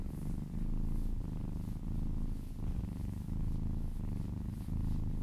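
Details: Purring from a kitten being massaged indoors: a steady low rumbling drone pulsing in slow in-and-out cycles about once a second, with faint soft rustling from handling.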